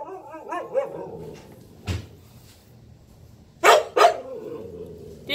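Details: Siberian Husky, female, yelling at another dog that took her toy: short wavering woo-woo yelps in the first second, then a few sharp knocks or bangs, with faint talk in the background.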